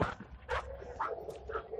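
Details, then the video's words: Belgian Malinois named Rambho during search and rescue training with breath scent samples, 19 April 2020; short barks about every half second, tonal bursts with a low background rumble. "Belgian Malinois Rambho latihan Search & Rescue sampel bau O2."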